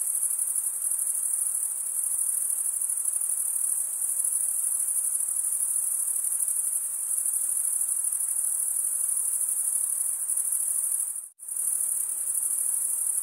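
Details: Male crickets chirp by stridulation in a constant high-pitched ringing drone that cuts out abruptly for a split second near the end, then resumes at the same level.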